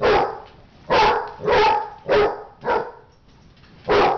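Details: Dog barking during a fight: six loud, harsh barks in irregular bursts, several spaced about half a second apart, with a longer quiet gap before the last one.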